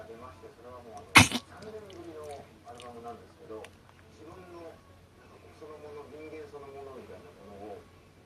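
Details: Chihuahua named Hatchi on the night of 1 January 2019, in a fit of choking and sneezing that will not stop; one sharp, loud, explosive sneeze early on, followed by a person talking softly in Japanese for the rest of the recording.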